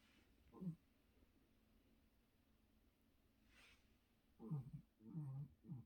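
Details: A sleeping dog named Jerry snores indoors: one short throaty snort early on, a quiet stretch, then three low rumbling snores in quick succession near the end, with faint room noise between.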